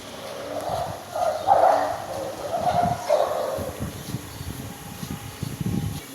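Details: A dog gives a string of high-pitched, nasal barks and yips, clustered in the first three seconds and then fainter, scattered yelps over a low, steady background hum.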